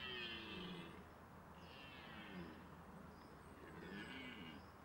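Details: A red deer stag gives deep, drawn-out roars during the autumn rut, which begins at the end of September, competing for hinds, with a soft noisy background.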